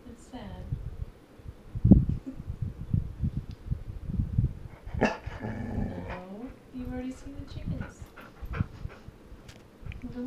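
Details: Golden Retriever female arguing over bedtime in a small room, wanting to visit her chickens; low growly grumbles rise into a sliding, wavering whine, while a woman talks back over her throughout.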